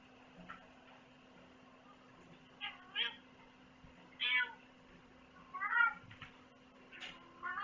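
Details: Domestic cat meowing repeatedly, about six short, rising-and-falling meows at uneven intervals across eight seconds, some drawn out and wavering, over a steady low electrical hum.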